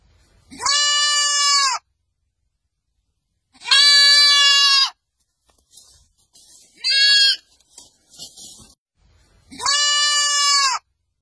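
A lamb bleats in long, wavering, nasal cries, each lasting about a second and repeated with pauses.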